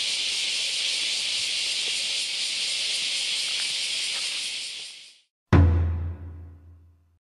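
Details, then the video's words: Many cicadas on Kyoto's Philosophy Path, Japan, on an August Sunday morning: a dense, steady, hissing buzz for about five seconds that cuts off abruptly, followed after a brief silence by a sharp struck ringing tone that slowly decays. "Sentiero del filosofo e cicale"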